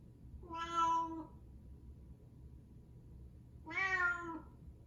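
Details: Indoor house cat trailing after its owner wherever they go, giving two long, clear meows about three seconds apart, each swelling and then falling away, with only a soft room hum between them.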